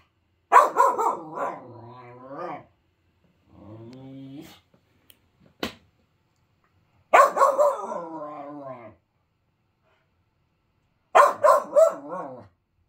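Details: A 5-month-old male Finnish Lapphund puppy, cross over a toy put away, gives bursts of rough, yowling barks, lower than his usual high excited bark, mixed with a low, drawn-out grumble.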